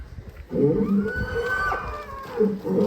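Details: Agitated, raging cow breaking out of its pen: one long, low, drawn-out bellow with a steady tone, held for over two seconds, then a second moo begins at the end.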